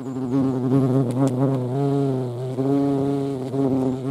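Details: European hornet at a feeding site in the Eifel, a close, loud low-pitched hum with wobbling overtones that bend up and down, a couple of soft clicks early on.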